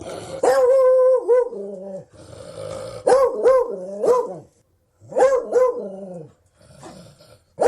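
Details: Loud Beagle baying in quick bursts, long howling barks that waver and bend in pitch, sometimes two or three run together, broken by short gaps and ending with a fresh outburst.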